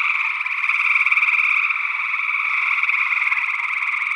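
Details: Gray tree frogs calling in Northwest Wisconsin in early June 2022, recorded with a stereo pair of condenser microphones; a dense, unbroken chorus of overlapping pulsed trills with two steady bands, one middle-pitched and one higher.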